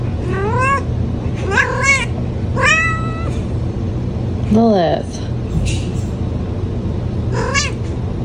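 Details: Domestic cat meowing, about six separate drawn-out meows with rising-then-falling pitch, some short and one sliding downward, spaced irregularly over eight seconds against a steady low hum.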